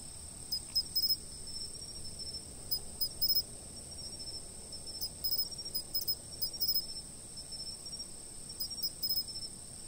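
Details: From a fixed camera, a high steady insect trill runs throughout while bursts of rapid chirps come every second or two across ten seconds, over a low, muffled background hum.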